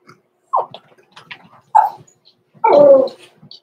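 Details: Blenheim Cavalier King Charles Spaniel puppies Roman and Blue, six weeks old, indoors overnight in their pen: three loud yelping whimpers, the last one longer and drawn out, between soft rustles.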